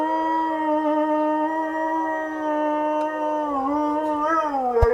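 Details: Dog howling in one sustained, steady harmonic tone, dipping and wavering near the end, from a compilation of Husky and Beagle howls meant to set pet dogs howling along.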